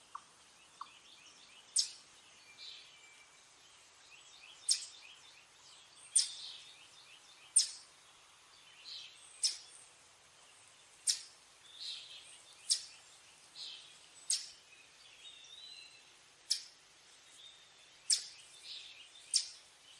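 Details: Eastern chipmunk alarm chips: loud, sharp, high notes coming irregularly every one to two seconds, with faint bird chatter and twitters beneath.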